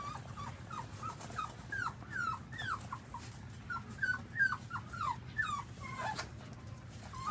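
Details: Newborn puppies suckling their mother's milk give a steady run of short, high, arching whimpers, about three per second, some rising then falling, over a low continuous hum indoors.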